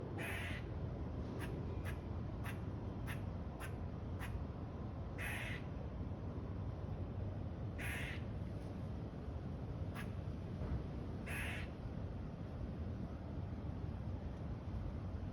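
A squirrel gives short, harsh, barking notes in quick bursts, then a few longer rasping calls.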